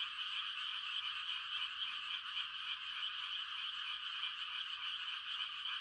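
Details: Mating chorus of many frogs on a calm rural night during rice-planting season, a continuous bright buzzing trill from countless overlapping voices, steady in loudness throughout.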